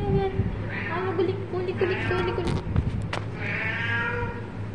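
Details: Pet cat at play with its owner, giving about three drawn-out, harmonic meows, each lasting roughly a second, over a steady low hum and some human voice.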